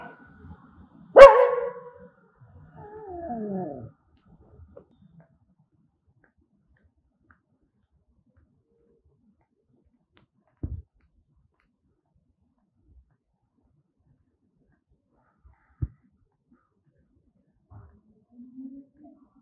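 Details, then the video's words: Angry dog giving one loud, sharp bark, followed by a brief lower, descending whining growl. Long near-silence follows, broken only by a few faint knocks. "Angry Dogs barking sound"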